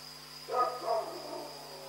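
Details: Night-time barking from a dog in Pyrga, one rough double-pulsed bark lasting about half a second, with constant mechanical hum and a thin high tone underneath.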